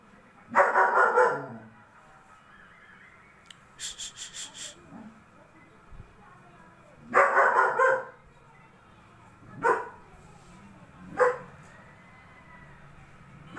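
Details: German Shepherd dog with a double coat barks in separate bursts: a rough, noisy bark, then a pause with a few clicking taps. A longer barking burst follows, then two short single barks spaced more than a second apart.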